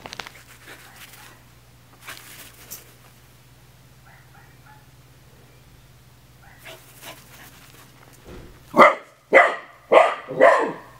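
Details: Eddie the Sailorman, an Australian Terrier, shows off for his puppies: about eight seconds of near quiet with faint rustles and a steady low hum, then four loud, sharp barks in quick succession close to the end.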